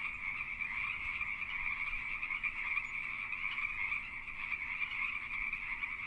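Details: Pacific tree frogs in mating season, many calling together: a dense, unbroken chorus of overlapping raspy, mid-pitched croaks that merge into a steady buzzing drone throughout, with no other clear sounds.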